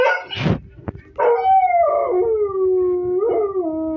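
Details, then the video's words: Kelpie howling at the TV, opening with a brief rough yelp and a click, then a long sustained howl sliding slowly downward with a small wobble near the end. "Kelpie howling at the tv"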